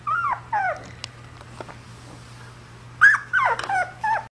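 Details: Puppy indoors giving short high whines and yips in quick clusters, several bending downward in pitch, with a quiet pause in the middle and a steady low electrical hum throughout.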